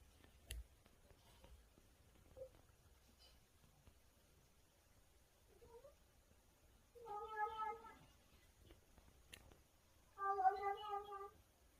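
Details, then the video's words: A kitten making odd noises while eating something tasty: two wavering, nasal meows a few seconds apart, each lasting under a second, with faint small clicks and chewing-like sounds before them. "맛있어서 이상한 소리내는 고양이"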